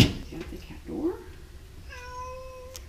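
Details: Cat indoors at breakfast time near a cat door, meowing once: a steady, drawn-out tonal meow lasting under a second, following a burst of rustling and a person's muffled voice.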